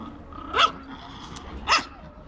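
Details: Old English Sheepdog puppy giving two sharp barks about a second apart over a steady low hum.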